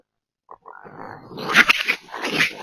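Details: Raccoons make a rare, strange sound during a brief disagreement over sharing catfish nuggets: harsh, raspy chatters and squeals rising into noisy bursts.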